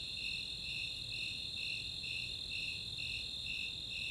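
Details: Snowy Tree Crickets and Four-spotted Tree Crickets on a summer night at Chautauqua, Boulder, Colorado, giving rhythmic high chirps near two per second against an unbroken piercing trill.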